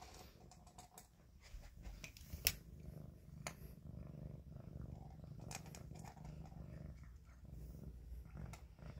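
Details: Kitten purring in a small indoor room, a steady low rumble running unbroken through the whole stretch, overlaid by scattered sharp clicks and soft rustling handling noises.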